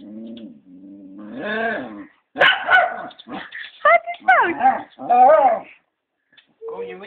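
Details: Pet Scottie bitch grumbling and moaning about having her leash put on before a walk; a sustained low moan rises into wavering, bending whines and yips, mixed with family voices speaking Afrikaans.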